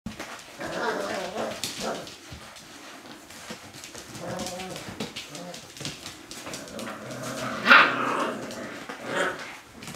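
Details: Six-week-old Siberian Husky puppies from Kodah's litter, indoors, giving a run of harmonic whines and low growly yelps, with one sharp louder squeal near the end among soft scuffling.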